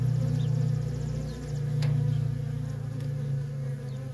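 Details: Close, deep buzz of honey bee workers busy at a feral colony, the hum rising and falling in volume as individual bees fly by.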